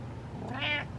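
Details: A house cat replying to its owner gives a brief, soft, high meow lasting a fraction of a second over a low room hum.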